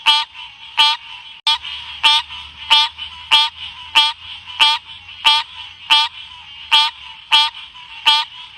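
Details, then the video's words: Odorrana livida, the green cascade frog, giving a steady series of about thirteen short, nasal, rising notes, each rich and buzzy, repeated roughly every two-thirds of a second against a faint low hum. "Tiếng Ếch Xanh kêu | The sound of Odorrana livida"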